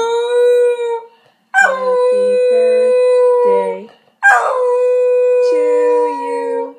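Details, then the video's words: Pet cocker spaniel, woken from sleep, howling along to a sung happy birthday: long sustained tonal howls with a high attack that settles and holds steady, three drawn-out notes, with lower human singing tones beneath. "the cocker spaniel singing happy birthday"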